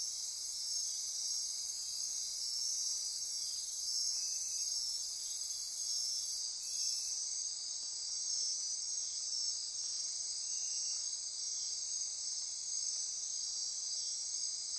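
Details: Dense nocturnal insect chorus from lush forest near Corcovado National Park, Costa Rica: unbroken high buzzing and ratcheting drone, a very high hiss that drops away midway, and faint intermittent pulsed notes below.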